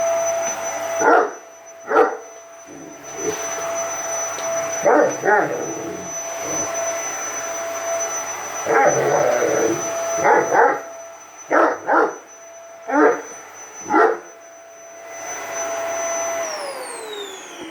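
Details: Great Dane, seven months old, barking at a vacuum cleaner; sharp single and paired barks repeat roughly every second near the end, over a constant vacuum hum that winds down at the close.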